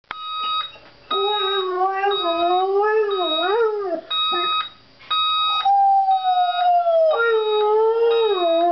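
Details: Pet dog howling along to a beeping alarm clock: long wavering howls that slide up and down, mixed with steady electronic beeps repeating in short bursts, the howl dropping lower toward the end.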